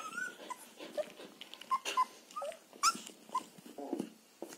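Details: Border Collie litter of 14.03.2021 out of Wiki and Crystal Mountain: several puppies give brief, bright squeaks and little whimpers, some sliding upward, coming every half second or so with small rustles between.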